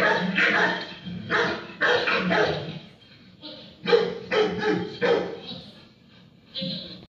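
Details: Akita Inu barking at its four-legged friends: loud, harsh barks in uneven bursts, sometimes doubled or tripled, with brief gaps between groups throughout.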